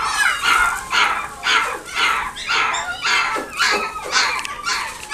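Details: Repeated sharp yelps from Pooky, a dog kept at the One Love pet shop in Nagoya, come in quick bursts about every half second, high-pitched and ringing, with no other clear sounds around them.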